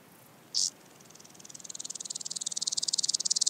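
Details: {'text': 'Common green grasshopper singing at Tschenn, Italy, on 19 August 2019: after a brief high click, a dry high ticking begins softly and swells steadily louder, with pulses in rapid even succession.'}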